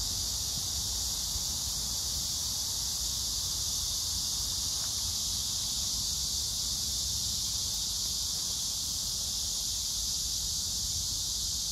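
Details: Cicadas and grass insects in Hwarang Park beside the Gyeonggi Museum of Art, Danwon-gu, Gyeonggi Province, 9 August 2024, crape myrtle in flower; a constant high sizzling drone holds level throughout, with low distant rumble underneath.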